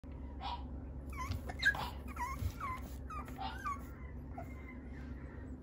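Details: French Bulldog at a breeder's home in Okayama, Japan, giving high-pitched whimpering whines: short tones that curve up and down, several in quick succession between one and four seconds, over a steady low background hum.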